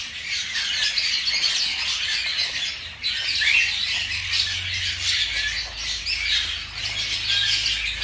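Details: Five-day-old baby hamsters feeding in a litter, a dense, continuous high-pitched squeaking chatter with brief dips in loudness, steady through the clip.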